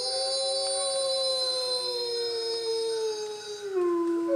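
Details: Wolf from the pack at Bays Mountain Park howling in the rain: one long, steady, clear tone sliding slowly downward, with a sharper drop near the end.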